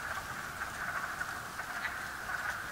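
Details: A distant chorus of wood frogs calling from water in a strip-mine pit on a very warm day, many voices blending into a steady, clucking hum.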